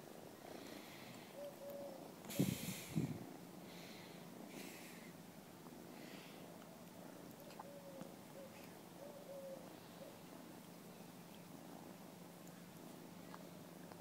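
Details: Kitten purring while playing with a person in an apartment building parking lot; a soft low continuous rumble throughout, with a couple of louder bumps or handling noises early on and faint speech.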